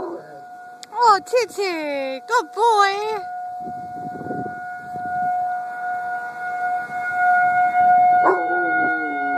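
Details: Chief, a dog, howling at a siren: a run of short wavering, quavering howls in the first three seconds over a steady droning siren tone, then a longer falling howl rising again near the end, the siren continuing underneath.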